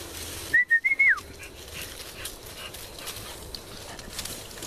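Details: American Bulldog puppies: one brief, thin whistled whine of about four quick pulses at steady pitch, ending in a short downward slide, over a quiet room hiss.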